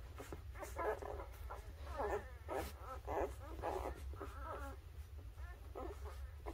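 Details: A litter of newborn puppies, birth to three weeks old, gives faint overlapping squeaks and thin whimpers in a steady scatter, over a low constant hum.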